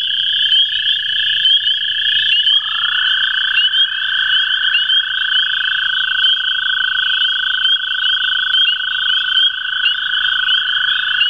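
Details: Two American toads at the CWRU Farm on April 21, 2016, give long, steady, musical trills that overlap at slightly different pitches.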